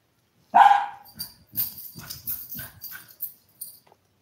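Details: Five-week-old toy poodle puppies, part of a litter of seven filmed eating, playing and sleeping; one short, sharp high yelp opens, followed by soft scuffling, clicking and faint rustling movement sounds.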